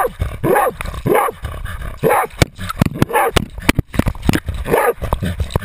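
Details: Jagdterrier named Otto baying a 250 lb boar, recorded on a GoPro camera carried on the dog: harsh repeated barks roughly every half second, with rustling and clattering bursts between them.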